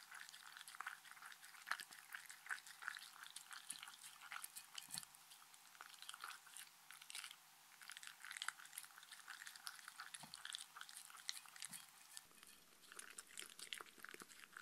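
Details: Shetland Sheepdog Mindy enjoying dog-friendly treats in a close-miked relaxing recording. A dense, steady stream of quick wet clicks and smacks runs throughout, with a few soft low thumps and a slight shift in tone near the end.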